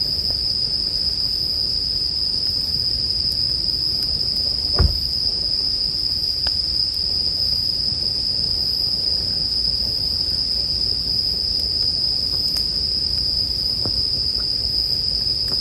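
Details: Bell crickets keep up a constant bright, high-pitched ringing in a calming sleep mix; a campfire adds occasional sharp snaps, one louder crack near the middle, over a quiet low hum.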